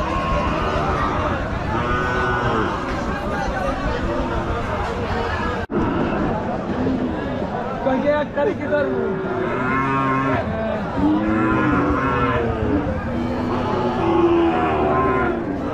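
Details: Cows at a busy village cattle market, several long, low droning moos rising and falling, some overlapping, over constant crowd chatter and voices of people, with a brief sharp break partway through.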